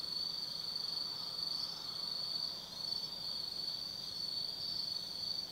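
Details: Insects singing on an autumn night at Tsukimi no Mori, Kaizu, Gifu, Japan: a constant high, shimmering trill with slight pulsing swells, many callers blending into one steady drone.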